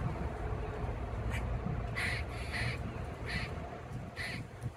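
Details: Repeated squawks from a grey squirrel directed at another squirrel, tail curled over its back, Oviedo, Florida: five or six brief harsh nasal notes at irregular intervals against a constant low-pitched rumble.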